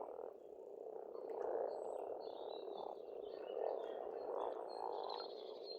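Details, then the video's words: Springtime pond frogs in Estonia croak in a rolling, swelling chorus with louder bursts near the start and middle, while birds chirp and trill at a higher pitch. "Расслабляющее пение птиц и лягушек, весна, природа."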